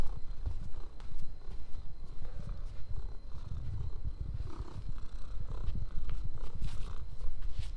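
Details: Orange cat purring close up: a steady low rumble in rhythmic pulses, rising and falling with each breath, with faint rustling over the top.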